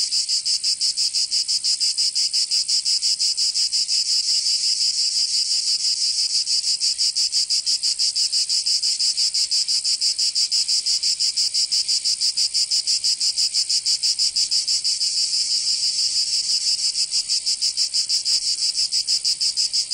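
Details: Cicadas singing in summer in Provence, southern France: a dense, unbroken high-pitched buzzing chorus that throbs in rapid, even pulses about three times per second, with no other sounds audible.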